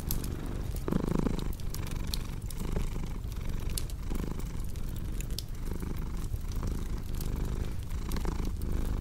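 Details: Domestic cat purring indoors beside a crackling fireplace, a low rumbling purr swelling and fading with each breath, while sharp pops and snaps of burning wood crackle over it.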